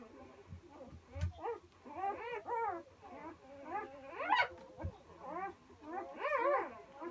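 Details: One-day-old Komondor puppies whimpering, several newborns giving overlapping short, high, arching squeaks and whines in quick irregular succession, some rising then falling, with faint soft thumps and shuffling.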